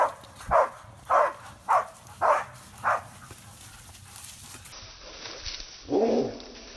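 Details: On a first boar hunt in Korea for pest control, the six-month-old hunting dog Hebat gives five clear, same-pitched barks about every half second. A pause follows, then one softer, lower bark.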